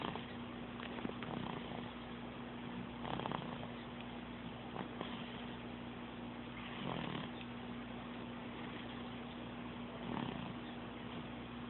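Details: Domestic cat Sophie, snoring and purring in June 2012, Android phone recording; rhythmic raspy breaths swell every few seconds over a continuous low drone.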